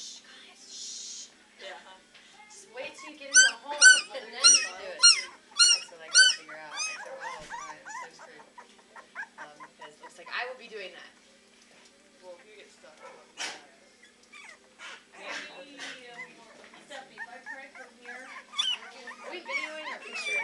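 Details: Three-week-old Beagle puppies at the Maryland SPCA shelter baying and practicing howling: a burst of loud, rhythmic high yelps near the start, then scattered softer cries mixed with human voices.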